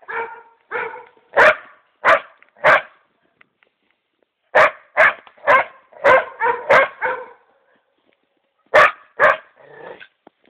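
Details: Female pet dog barks excitedly at a mouflon head and hide meant for mounting; clusters of three to six punchy barks with some softer yelps between, broken by silent pauses of one to two seconds.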